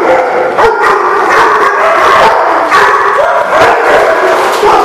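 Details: Dogs barking in a group on 4/11/16, a steady wall of overlapping rough barks and yips with irregular, closely packed bursts and no pause throughout.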